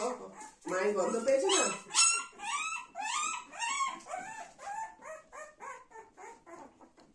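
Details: Golden Retrievers: young Dona with her mother Anna and her grandmother, family pets. A run of high, whiny, arching yelps, each rising then falling, about two per second, growing softer and shorter toward the end.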